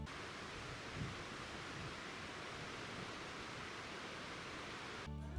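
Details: Steady broadband hiss throughout, ending in a brief loud burst of music or voice, with no animal calls. No animal sound is present.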